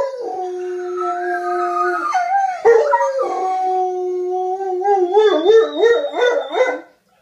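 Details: Two male dogs, an old one and a young one, howl as mating calls to a female on her second day in heat. Long steady tones break into a wavering, quivering warble near the end.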